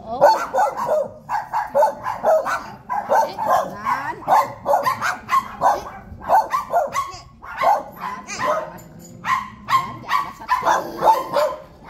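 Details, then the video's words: Several dogs bark at visitors in a dense, unbroken volley of harsh barks, often overlapping, with only short pauses over twelve seconds. "Dogs Barking at Visitors"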